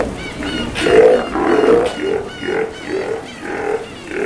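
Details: Captive Steller sea lions at feeding time, Kamogawa Sea World, Japan, 2 January 2017: a series of deep, harmonic, bellowing roars, each under a second, following one another almost without pause and rising and falling in loudness.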